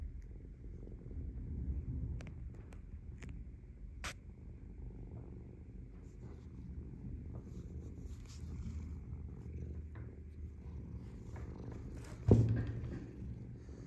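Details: Domestic cat purring while being poked: a steady, deep rumbling purr throughout, rising and falling gently in loudness, with a few faint clicks and a short thump near the end.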